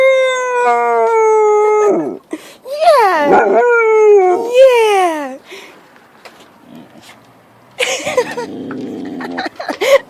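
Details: Domestic dog howling at home, a sustained level howl for two seconds followed by a run of quavering, bending howls that swoop up and down, then quiet and a woman's affectionate voice with some handling noise.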